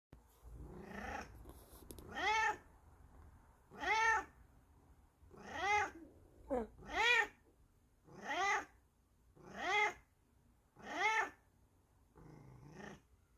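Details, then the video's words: Bengal cat waking its owner like an alarm clock, giving a steady series of loud, drawn-out, arching meows, about eight in a row, spaced roughly every second and a half, in a quiet indoor room. "The Return Of The Furry Alarm Clock"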